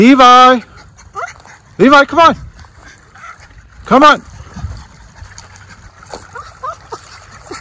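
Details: Miniature Schnauzer brothers off leash outside in spring, Aroostook County, Maine, April 2024; loud, tonal barks ring out in three spaced bursts, the middle one a quick double, with faint higher yelps between and a quiet outdoor background.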